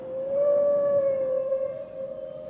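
A killer whale gives a long, steady, slightly wavering tonal call with a clear, siren-like quality.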